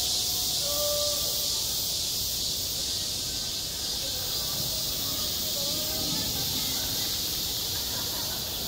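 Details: Cicadas sound off in high summer over a school playground: a steady, piercing drone that eases slightly in loudness, with faint brief whistles and low murmurs in the background.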